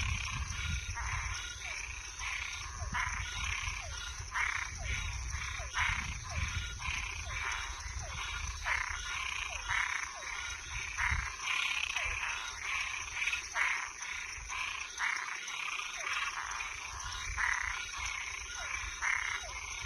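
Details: Toads and tree frogs calling at night: a dense chorus of short, harsh, rasping croaks repeated rapidly and overlapping, over a steady high-pitched insect-like whine and a low rumbling background.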